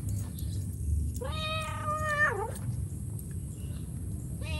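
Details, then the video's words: Mother cat calling to her kittens, giving one sustained, level meow that ends in a quick falling dip, then starting a second meow. A low rumbling background lies beneath. "SUARA INDUK KUCING MEMANGGIL AANAKNYA"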